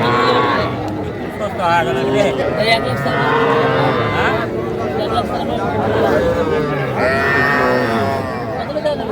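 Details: Calf moos at a crowded cattle market in Cumilla, Bangladesh, 11 January 2025, where small bull and heifer calves are traded. Several short tonal lows come at uneven intervals amid constant human talk.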